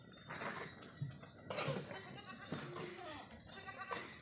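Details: Goat on an Indian goat farm, bleating in a few short, wavering, harmonic calls against a noisy farmyard background with faint voices.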